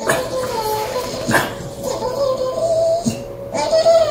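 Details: French Bulldog puppy trying to get a Staffordshire Bull Terrier to play, giving drawn-out high whines and whimpers, some wavering and some rising, several in a few seconds, with soft rustling between.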